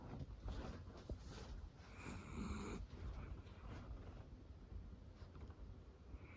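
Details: Roro, a female cream Miniature Dachshund born in 2010, snoring while asleep on her owner's lap and nuzzling in; soft low rumbling breaths with a brighter raspy snore around two seconds in, in a quiet room.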